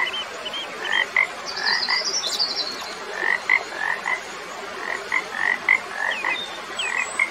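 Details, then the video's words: Frog calls in short rising chirpy notes, repeated in quick irregular pairs over a steady hiss of background noise, with faint higher chirps. "Magical Frog Sounds"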